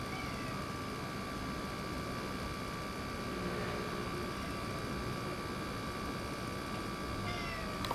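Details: Ginger tabby boss cat that rules a local area, newly neutered and acting affectionate; soft, faint meows rise briefly near the middle, half-buried under a steady background hum and hiss.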